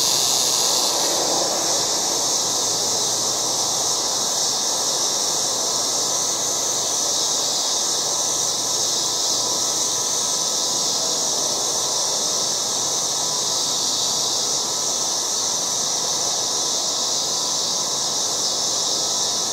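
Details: Loud chorus of many cicadas in a yard in August: a dense, unbroken high-pitched hiss that holds steady throughout, with a fainter lower buzzing band beneath and no clear birds or voices.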